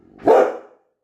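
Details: Single sharp bark from a Labrador Retriever, a sudden loud burst that fades within half a second into silence.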